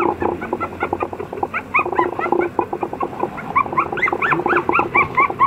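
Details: Toy Poodle puppy, apricot in colour, with quick rising-and-falling yelps and whines repeated several times a second. They grow busier and higher toward the end, over a buzzy pulsing background.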